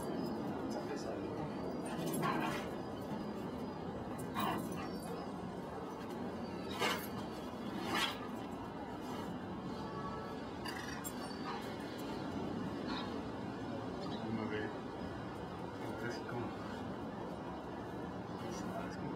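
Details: Belgian Malinois puppy named Dalai des Champs, Mexico, recorded 25 March 2009: short, sharp barks burst out at irregular intervals, loudest around two, four and seven seconds, over steady Spanish speech from people nearby.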